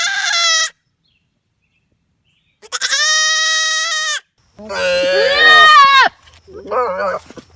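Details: Loud goat bleats: a short bleat, a long steady harmonic call after a pause, then a wavering, rising and falling bleat and a shorter lower bleat at the close.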